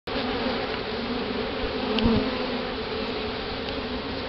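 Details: Bees of a newly hived colony during a removal in Houston, Texas, October 2011, as the queen is released from her cage; a dense, steady buzzing hum with low droning tones, brief passing wingbeat whines, and a faint click near the middle.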